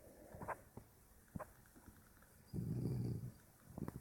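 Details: Sleeping puppy gives one long, low, buzzing snore lasting under a second, preceded and followed by scattered faint clicks and small shuffling noises.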